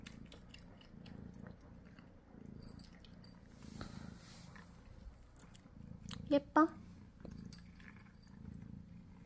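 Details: Munchkin cat purring indoors while it eats, kept company by its owner; continuous low rumbling purr with chewing sounds, and two short sharp vocal bursts near the end.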